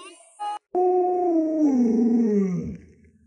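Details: Lolo, a pet Alaskan Malamute living with a young child at home, lets out a sustained harmonic howl that starts level and then slides steadily downward in pitch over two seconds before fading; a brief voice precedes it.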